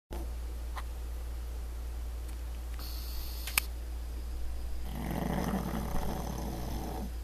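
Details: Han, a pug, snoring while sleeping on his back in the morning: one long, rough, rattling inhaled snore of about two seconds after quiet breathing, with a few faint clicks and a steady low hum.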